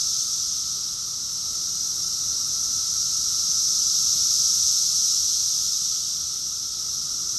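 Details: Massed cicadas singing in Rockville, Maryland, USA, during June 2021, producing a constant sizzling high drone that swells gently toward the middle and softens again, with a faint lower hum underneath and nothing else audible.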